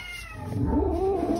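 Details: A female shelter cat at an animal shelter in Spencer, West Virginia growls low and steadily, the rumble rising slightly into a drawn-out, moaning tone.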